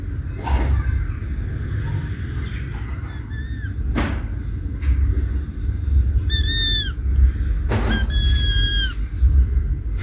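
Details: Kittens playing beside their mother cat give high, thin meows, a few short ones early, then two longer drawn-out meows that slide slightly downward near the end, over a steady low rumble and occasional soft thumps.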